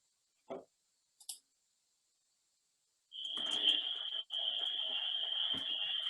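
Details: In spring, at a vernal pool in Striar Conservancy, Halifax, Massachusetts, a few clicks come first, then a dense spring peeper chorus starts: shrill, high peeps merging into one continuous ring. Lower, duck-like clucking from wood frogs rumbles underneath.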